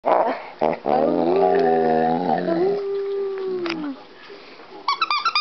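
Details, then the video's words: Pet Rhodesian Ridgeback dog howling: a long wavering tone that slides upward, holds, then drifts down and fades, preceded by short yelps and followed by a few quick squeaky notes. "Rhodesian Ridgeback Howling"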